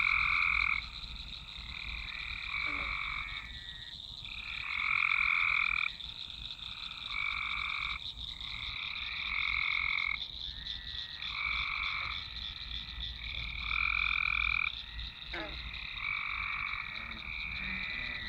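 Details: Many frogs calling in a swamp, captured on a Nokia Lumia 1020; sustained pulsed croaking trills of one to two seconds each, overlapping in waves with short gaps, over a continuous high insect-like hum.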